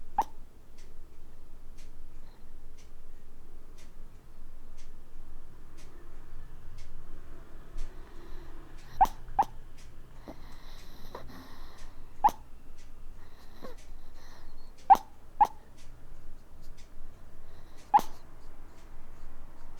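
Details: Sleeping Maltese puppy breathing with soft, low snores, then hiccuping in the second half: sharp, short clicks arriving singly or in quick pairs, about eight in all, over a quiet indoor background.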